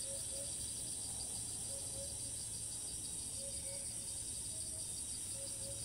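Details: Cicada calling on a tree in Thailand, restarting each time it relocates; unbroken high metallic buzz with a throbbing pulse, and paired short low whistles recurring every second or two.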